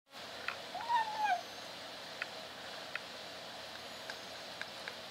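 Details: Caged kitten trying to meow while eating, fed apart from a dog: one short, thin, wavering mew with faint clicks of chewing after it.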